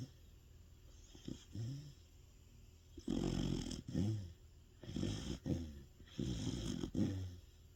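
A sleeping Sapsali dog snores loudly in deep, rumbling breaths repeated every second or so.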